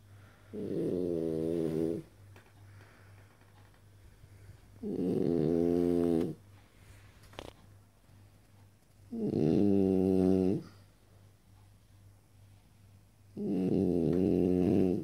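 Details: A French Bulldog, three years old, sprawled on his back on a living-room sofa and snoring in a regular rhythm. Four drawn-out, buzzy, harmonic snores come roughly every four seconds, with soft breathing and a faint constant hum between them.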